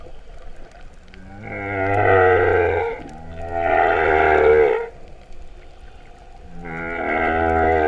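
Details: Moo-like humpback whale song underwater at Vava'u, Kingdom of Tonga, September 2015: three deep, rich, harmonic moans of about one and a half seconds each, the last following a longer pause.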